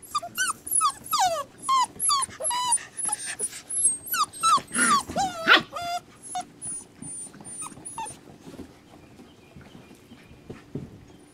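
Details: Rescue puppies whining and yelping in a busy chorus, with high, bending whimpers overlapping several times a second before fading to a few scattered squeaks near the end.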